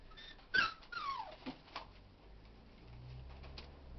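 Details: Puppies from a 2011 litter: a sharp high yelp followed by a falling whine and a few fainter short squeaks, with soft human voices and low room hum beneath.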